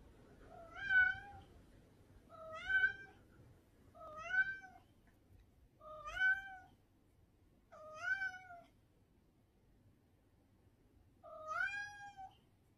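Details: Domestic cat named Bender meowing: six clear, drawn-out harmonic meows, each roughly half a second long, rising slightly then levelling off, spaced about every one and a half to two seconds with a longer pause before the last, over a faint low hum.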